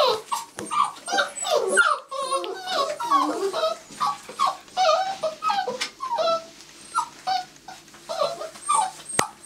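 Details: A litter of six-week-old Labrador Retriever pups at feeding time, recorded with a Canon 500D, keeps up a dense chorus of squeaky whines and short yips with sharp clicks and clatter mixed in.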